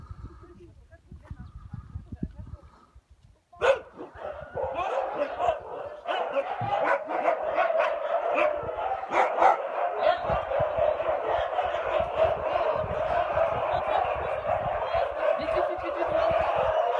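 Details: Huskies at feeding time raise a dense, continuous chorus of overlapping barks and yelps after a sharp bang, many dogs calling at once with a steady rapid rhythm.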